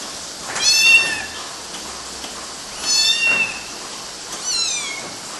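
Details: Kittens climbing on mosquito nets in Galati, Romania, June 2012, giving three thin, high-pitched meows that slide downward, spaced a couple of seconds apart against a quiet background.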